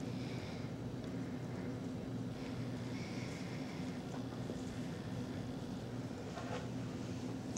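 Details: Quiet indoor room tone with a steady low hum and faint background murmur, ending in a sudden loud knock.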